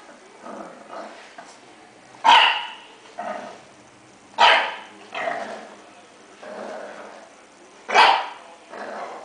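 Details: Young English Bulldog puppy, male, giving three sharp, harsh barks roughly two seconds apart, with softer grunting, growly noises in between.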